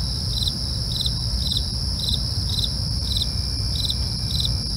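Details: Rhythmic night cricket chirps, bright pulses repeating about every half second, over unbroken high insect trilling and a low constant rumble.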